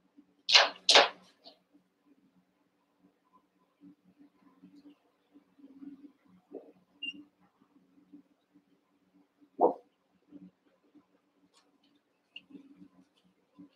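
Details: Young Cavalier King Charles Spaniel puppies play-fighting in a pen with their littermates: a quick pair of loud, high yappy barks opens, a single shorter bark follows about nine seconds later, with scuffling and a constant low hum between.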